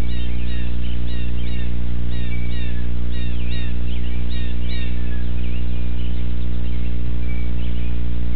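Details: Baby eastern gray squirrels waking up in a nest box on 13 April 2018 give thin, high squeaks in quick clusters during the first five seconds, over a steady low electrical hum.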